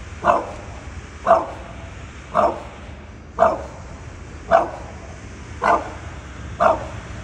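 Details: Bulldog barking at something in a tree, seven sharp barks spaced about one second apart, steady and insistent, with a low background hum between them.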